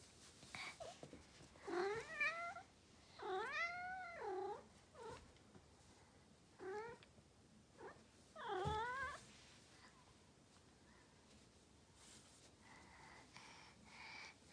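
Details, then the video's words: Norwegian Forest Cat indoors, clinging to an arm and seeking affection in front of a daughter, gives a run of rising-and-falling meows, several drawn-out and wavering, then shorter chirps, with quiet room noise between. "娘の前で腕にしがみつき甘える猫 ノルウェージャンフォレストキャット"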